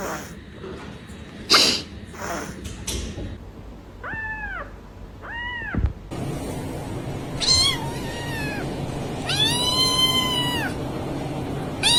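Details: Domestic cat meowing in a series of drawn-out, arched, harmonic-rich calls. Two short meows come mid-clip, then longer wavering ones toward the end. A person talks to it early on, calling it vicious and mad; soft background noise throughout.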